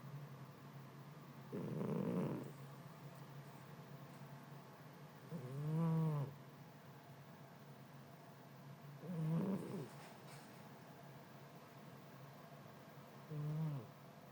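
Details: Cat sleeping soundly in the heat, snoring in a slow rhythm: four low, raspy snores roughly every four seconds, some with a gurgling, wavering edge, between soft breathing hiss in a quiet room.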